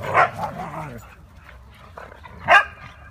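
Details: Playing huskies, among them Mia, Nola, Bender, Fry and Max: one bright bark at the start, a pause with soft grumbling noises, then a second loud bark near the end.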